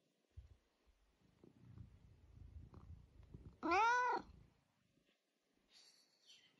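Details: Eric, a chatty pet cat who won't stop talking, gives soft low rumbling murmurs, then one loud, drawn-out meow that rises and falls over about a second, followed by a faint, high, thin trailing sound indoors.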